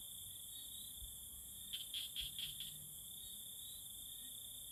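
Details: Tree frog courtship calling: one quick burst of four clicking pulses in the middle, set against a constant shrill cricket drone.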